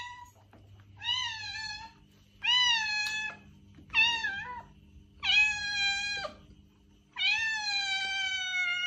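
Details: Cat giving a string of meows to attract a stray cat: five clear calls roughly every one to two seconds, the later ones longer and flatter, over faint low hum.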